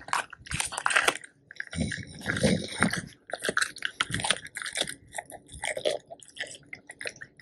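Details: Two male Labrador Retrievers, Tico (black) and Remi (yellow), eating a whole raw duck head as part of a raw-food meal; wet crunching and biting bursts with short pauses, close-up indoors.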